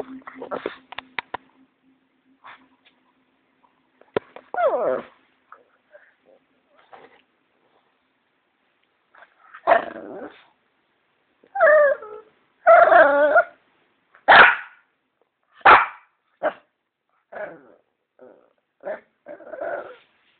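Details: Bruno, a Shih Tzu, playing with a ball indoors: short sharp barks and whining yelps in bursts, spaced roughly every second, with some voices and faint music early on.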